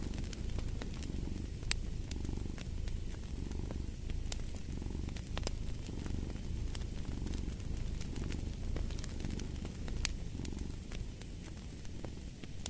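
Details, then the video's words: Cat's low, even purring rumble rising and falling with its breathing, accompanied by a hearth's crackles and occasional louder pops of burning logs. "Fall asleep to the Purring of a Cat & Fireplace"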